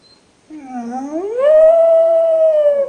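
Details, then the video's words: Rogue, a pet dog left in the kennel, complaining in a long whine that starts low, slides upward and holds a steady, slightly wavering high tone for over a second before dipping at the end. "Rogue song of despair"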